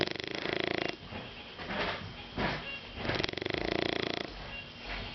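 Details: Pet Shar Pei Caco fast asleep, making fluttering, rattling snores on the in-breath alternating with softer wheezy exhales, a continuous rough rhythm lasting the whole stretch.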